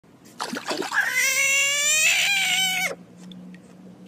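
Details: Frog scream: one loud, sustained, harmonic wail lasting about two seconds. It starts abruptly, holds a steady pitch with a slight rise midway, then cuts off sharply, leaving a faint low hum.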